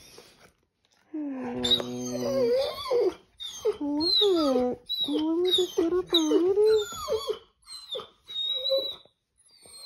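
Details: A male Weimaraner puppy, excited to start a new day, gives a run of excited, wavering whines and yodelling grumbles that rise and fall in pitch.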